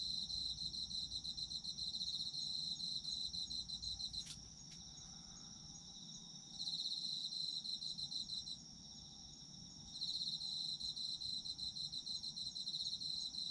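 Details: Chorus of autumn insects, with a constant piercing high tone and a rapid pulsed trill that twice falls silent for a couple of seconds before resuming. One sharp click sounds near the four-second mark. Faint low background hum throughout.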